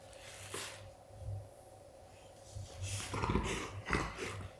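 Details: An adult Golden Retriever signals to his pup that play has ended. A quiet breathy puff comes early, then a cluster of heavy, rough snorts and throaty rumbles late in the clip, over a constant low room hum.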